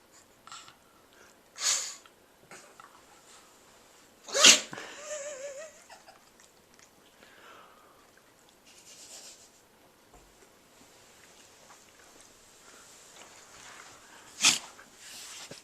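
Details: Pug Sophia caught in a sneezing attack, letting out three sharp, breathy sneezes at roughly 2, 4.5 and 14.5 seconds, with snuffling and a brief high whine after the second, otherwise quiet indoors.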